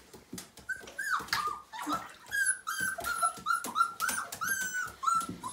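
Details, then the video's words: Five-week-old Siberian Husky puppy from a litter of nine, cold and wet during its first bath indoors, whimpering in a string of high, thin whines that rise and fall, with splashing water and clicks between cries. "Siberian Husky Puppy First Bath: 5 Weeks Old"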